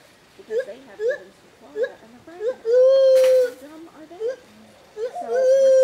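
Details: Stitches, a rescued female white-handed gibbon at the Talkin Monkeys Project sanctuary in Florida, reacting to a five-year-old boy: short hooked, wavering mid-pitched hoots repeated about every half second, then one long steady ringing note, and a final sustained tone.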